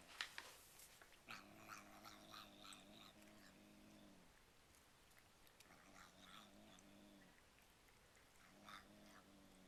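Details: Pet cat making bizarre noises while eating cat treats, likened to saying "yum yum yum": three bouts of low, buzzy, growling murmurs with steady tone, each lasting one to three seconds with pauses between, chewing clicks throughout, indoors.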